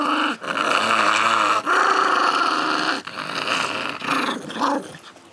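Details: Domestic dog growling while playing with a red bone indoors: sustained rough growls with a harmonic buzz, broken by brief pauses, over about five seconds; a person's coaxing voice is nearby.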